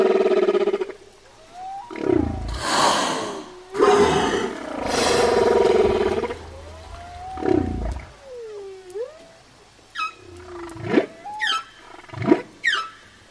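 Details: Whale song of long tonal moans and swooping whoops, some rising and some falling, with harmonic overtones, interrupted by loud broadband rushing bursts and ending in a run of short sharp upswept calls.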